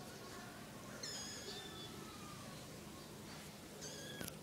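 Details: Kittens with their mother cat, three young in all; a faint, high, thin meow slides downward, and a short high mew follows a few seconds later over steady background hiss.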